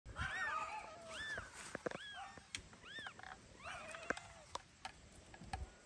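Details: Newborn kittens of mother cat Kira, who keeps carrying them away in her teeth while they are being weighed, give high arched mews, several in quick bursts, over faint background noise and clicks.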